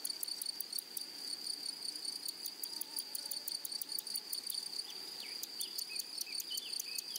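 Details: Meadow grasshoppers produce a constant shrill tone beneath quick, dry ticking bursts repeated in clusters, while a few brief descending bird notes slip in during the second half.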